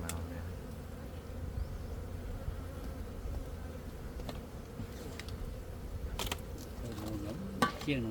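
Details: Gold honey bee buzzing in a steady, unbroken low drone with layered humming tones, faint human voices and a few sharp clicks in the background.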